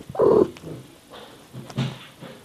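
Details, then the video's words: Mother cat Miyu talking to her baby kittens indoors: one short, low rolling trill near the start, then a few faint soft murmurs and quiet rustling. "Mama Cat Talks to her Baby Kittens"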